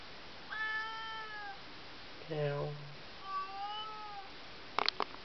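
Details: A house cat calls from behind a shut bedroom door at night. Two smooth, wavering meows are separated by a brief human voice, and a couple of sharp clicks come at the end.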